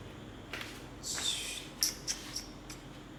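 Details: Persian cats mating, the female striking the male: a sharp, breathy hiss lasting about half a second, followed by several quick, high clicking snaps spaced a fraction of a second apart, indoors with a faint background hum.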